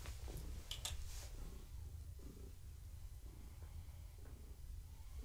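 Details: Gaia, a pregnant long-haired tabby cat, purrs while being petted in the evening, a low steady rumble pulsing with each breath; brief rustling and handling noises near the start.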